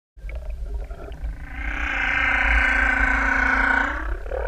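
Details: A humpback whale singing in the open ocean off Tahiti Iti, recorded by swimmers directly above it, gives a long, moaning song note that swells and holds steady, rich in layered tones.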